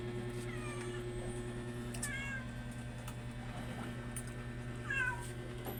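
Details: House cat meowing three times, near the start, at about two seconds and near the end, each call a clear harmonic tone falling in pitch, with a constant low hum and occasional clicks behind.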